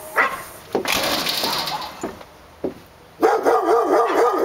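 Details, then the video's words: Barking dogs: a few short barks scattered over the first three seconds, then a loud wavering, whine-like tone with throbbing pitch takes over the end. "Barking Dogs"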